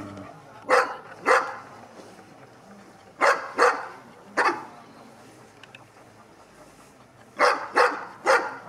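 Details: Avatár, a Sarplaninac aged two and a half, gives spaced barks in pairs and a closing triplet while undergoing a courage test, with quiet background between bursts.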